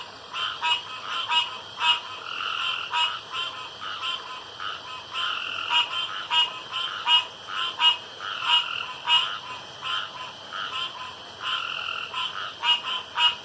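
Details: Chorus of frogs at a pond at night, short buzzy croaks tumbling over one another more than once per second with uneven timing, over a faint constant high hiss.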